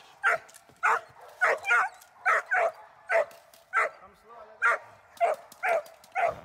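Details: German Shepherd Dornan barks during protection training: forceful, rough barks come steadily, roughly every half second, some in quick pairs, with a brief lull midway.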